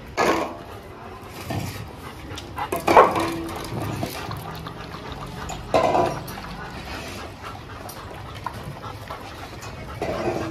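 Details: Indian-breed female dog staying briefly at a Jodhpur dog hostel, described as easily frightened, lets out a few short sharp barks or yelps spaced several seconds apart, with light indoor background noise between them.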